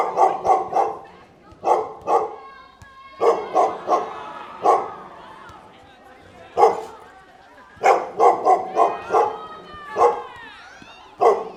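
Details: Barking dogs: fast clusters of three or four clipped barks alternate with drawn-out, wavering whines and yelps, the barks returning in rapid triplets toward the end.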